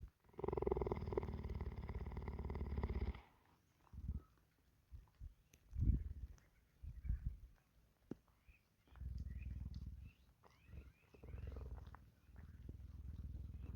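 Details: Cheetah at a sanctuary purring while grooming with sandpaper licks in the rain; a loud, low rumbling purr for about three seconds, then quieter bursts of purring and licking sounds in separate pulses.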